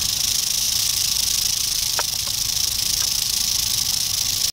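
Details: Eastern diamondback rattlesnake, dated 8/27/11, giving a steady, dry, high-pitched hissing buzz that runs unbroken for about four and a half seconds at an even loudness, with a few faint clicks near the middle.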